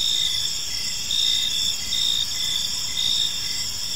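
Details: Crickets chirp in a park during the evening, a high, steady, ringing trill with one voice pulsing in short regular beats several times a second, backed by a gentle low noise floor.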